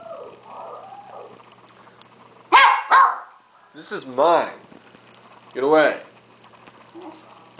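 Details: Hungry pet dog making vocal sounds at home while food is withheld; a man speaks first, then two quick barks followed by two arching, yodel-like whines about a second and a half apart.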